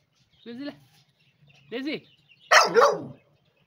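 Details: Pet dog indoors while a woman calls it in Vietnamese; two short whiny yelps, then a loud, harsh, broadband bark lasting under a second.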